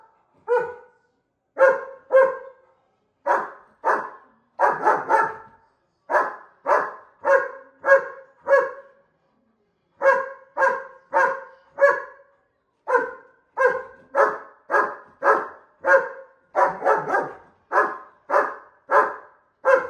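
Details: German Shepherd dog that wants to fight a bull, barking loud and rough in uneven pairs and triplets, roughly two barks a second, with brief gaps between bouts.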